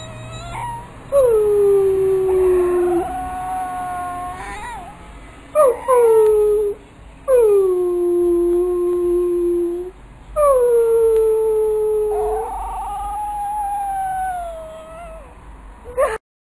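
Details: Pit bull puppy howling while being trained to "talk": a series of five drawn-out, slightly falling howls of varying length with short breaks between them, some ending in brief whimpers.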